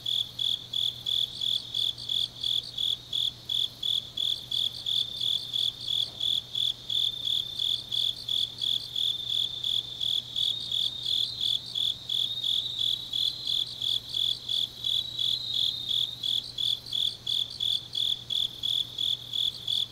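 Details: Grass insects singing on a deep autumn night in Changnyeong, South Gyeongsang, Korea: high, steady chirps pulsing about three times per second, with a second fainter chorus of quicker chirps layered just above, continuous throughout, and a faint low hum beneath.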